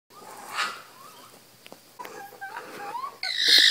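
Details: Baby raccoons in an attic give faint, thin chirps and short rising squeaks, ending in a burst of rustling noise.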